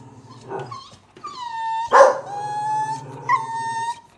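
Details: Blue Staffordshire Bull Terrier raised by cats gives a long, steady, drawn-out howl with rich overtones. A sharp bark breaks in near the middle, then the howl resumes and trails off.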